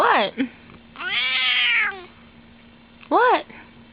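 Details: Domestic female cat at home, calling while licking her foot: a short falling squeak, a long loud strained meow with rich harmonics, then after a pause a brief rising-falling mew; steady background hum.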